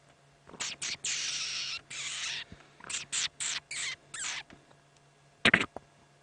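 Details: A dwarf mongoose family settling in for the evening at sunset on a hot afternoon, 6 September 2016, in the Sabi Sand, gives contact calls: short, harsh, hissy chirps in quick bursts and one sharper squeak.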